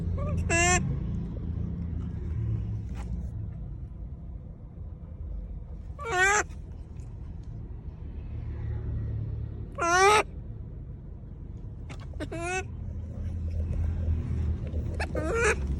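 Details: A monkey calls to people with brief, sharp, stuttering cries, each a quick stack of bright harmonic yelps. There are five bursts spaced several seconds apart over a steady low traffic-like rumble and faint voices.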